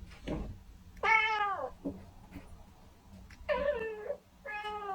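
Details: Kitten meowing: three drawn-out, slightly falling meows, each under a second, over a faint low hum and soft clicks.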